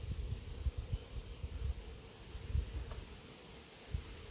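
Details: Honey bee swarm from an apiary, flying through the air before settling on a branch and being caught; a steady, even-pitched hum runs throughout beneath low rumbling wind and scattered handling thumps.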